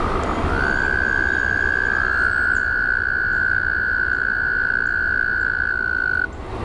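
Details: Frogs chorusing at a pond, a busy low crackle throughout, overlaid almost from the start by a long unbroken high trill lasting nearly six seconds before cutting off.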